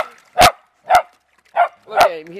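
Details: Beagle/Dachshund dogs from one family playing in water, one digging to find it; four loud, evenly spaced barks about half a second apart, the last drawn out into a whining tail.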